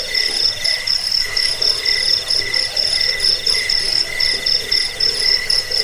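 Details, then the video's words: Shrill cricket chirping, recommended against rats, for insomnia and as a model for training birds; fast, tightly pulsed high trills repeat in brisk bursts, several voices overlapping into a constant ringing chorus. "Suara jangkik pengusir tikus pengantar tidur"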